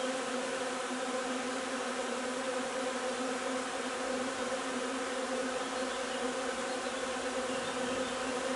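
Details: Linden nectar harvest at a honey bee hive, 3 June: a full, continuous buzzing hum of numerous bees, even in loudness with rich harmonic bands.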